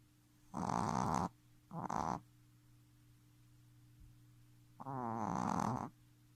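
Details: Shih Tzu puppy aged three months snores in its sleep: two short gravelly snores close together, a pause, then a longer vibrating snore, with a low steady hum underneath.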